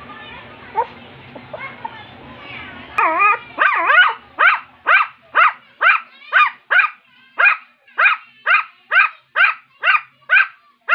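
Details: Rum, a two-month-old Shih Tzu puppy, starts with a few scattered yelps under soft human speech, then settles into a steady run of piercing high yips about two per second, each short and sharply clipped.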